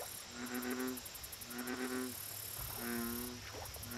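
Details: Lakeside American bullfrog giving three drawn-out, low, throbbing croaks, each about half a second long and separated by short gaps. A constant high insect hum and rapid ticking chirps fill the background.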